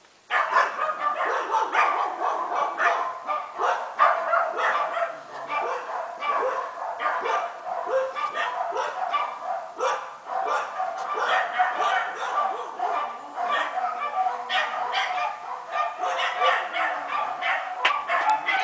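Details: Kooikerhondje puppies from one litter playing together, including a male and his brother in a rough play "discussion", giving a dense run of short yips, barks and growly bursts throughout, with no pauses.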